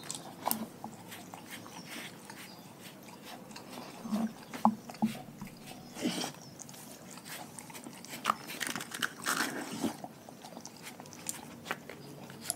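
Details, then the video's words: Pack of pet dogs eating a raw food diet indoors, with irregular sharp crunches and bites scattered through the clip over a low steady background hum. "Epic ASMR Compilation Dogs Eating Raw Food"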